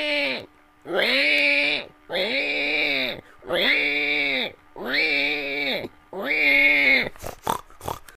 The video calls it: pig noise